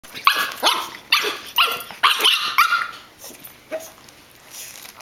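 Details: Poot, a female pug, play-fighting with another dog and sounding fierce, as if showing it she is the boss: harsh, raspy snarling barks in quick bursts, about two per second, fading to softer grumbles near the end.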